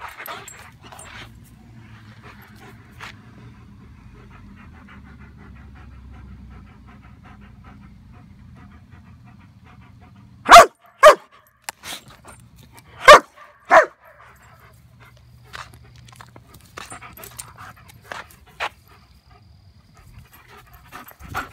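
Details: After a long quiet stretch with a low steady hum, a German Shepherd attacking a flashlight fires off four loud, sharp barks in pairs. Light panting and movement noises follow.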